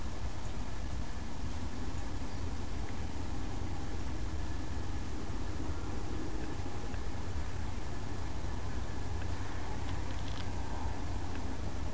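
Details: A steady low rumble of a vehicle or engine fills the recording, with no animal calls heard. Only a faint mechanical hum rides above the noise.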